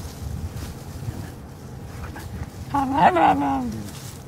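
A Cairn Terrier gives a brief, wavering, whiny vocalization that bends up and down in pitch.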